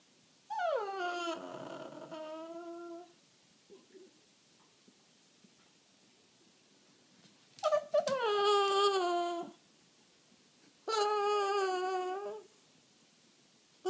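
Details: A 1-year-4-month-old Boston Terrier gives long, drawn-out whines, each sliding downward, while begging for his owner's morning coffee.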